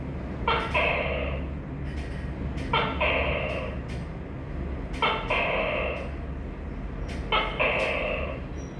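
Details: Repeated tokay gecko calls: four paired bursts, each a brief clipped onset then a drawn-out, buzzy harmonic note, spaced roughly every two seconds against a constant low background drone.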